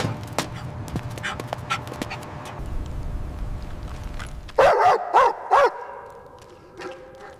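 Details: Joyful puppies running and jumping on fresh green grass: after a few seconds of scuffling and low noise, three loud, wavering yelping barks ring out close together, then quieter yaps follow.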